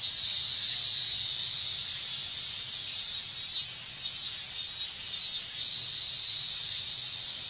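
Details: Hot-weather chorus of minmin cicadas in Japan: a continuous shrill, high-pitched drone, with several louder pulsing bursts between three and six seconds rising above the steady background buzz.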